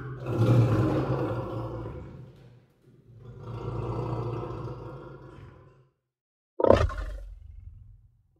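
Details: A lion's roar: two long, deep, drawn-out rumbles, each rising then fading over about two and a half seconds, followed after a silence by one sharp thud-like burst.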